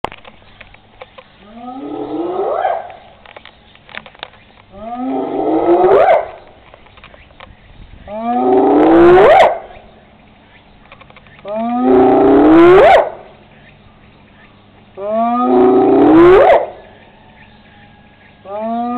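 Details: Spotted hyena, also called laughing hyena, recorded 17 August 2010, giving a rare roaring growl: five loud, low calls that sweep sharply upward, spaced about three and a half seconds apart, over a steady low hum.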